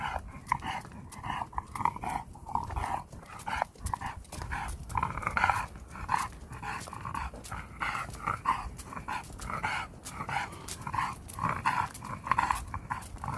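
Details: Khan, a pet dog sulking on arrival home from Gageodo, keeps up a long stretch of nasal, complaining moans and grumbles, one wavering whiny burst after another with brief gaps, no other clear sounds around.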